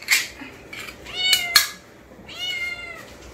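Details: Kittens from a multi-cat home that love canned wet food, raising their voices to ask for a can: two bright, rising-then-falling meows about a second apart, mixed with crisp clicks and rustling.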